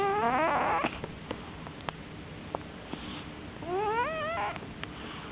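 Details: A male cat sleeps in the dark, snoring loudly. A wobbling, high whistle opens the recording, quiet ticks follow, then another rising, squeaky breath-whistle near the end.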